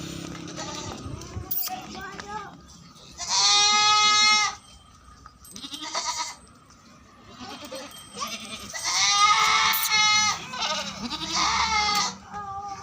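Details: Barbari goats on an Etawah, Uttar Pradesh farm: two loud, tonal bleats, the first about a second long and the second longer and wavering, with people talking quietly and faint softer bleats in between.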